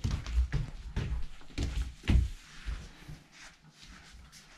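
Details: Dull thumps and knocks in a small room, about one every half second, with faint rustling between them and no animal voice.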